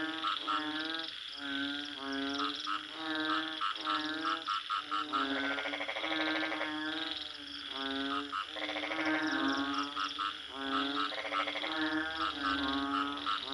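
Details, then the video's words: Dense frog chorus: many nasal, buzzy croaks overlap, some longer and harsher, others short and clipped, forming a continuous, pulsing din. "Bunyi Katak"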